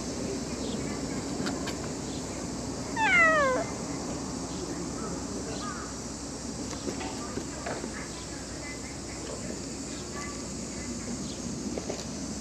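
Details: A single loud, drawn-out meow from a cat, sliding downward in pitch, surrounded by quieter background noise and faint distant voices.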